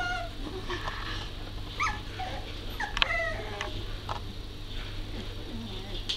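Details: Working Cocker Spaniel puppies, about four to five weeks old, in Devon in September 2012, give short, high whimpers and squeaks over a steady low hum.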